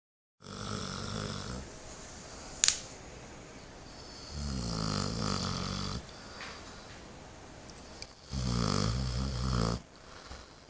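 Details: Eight-month-old female Saint Bernard sleeping soundly at home after spay surgery, snoring in deep, rumbling rasping breaths, three long snores roughly every four seconds with quiet pauses between, one sharp click early on, indoors.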